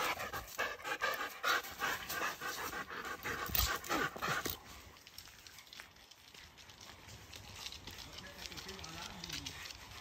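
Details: Excited Siberian Huskies Laika and Loki on a walk after a porcupine has climbed its tree. Rapid, breathy panting bursts about three per second for the first half, then softer, quieter panting with light outdoor background.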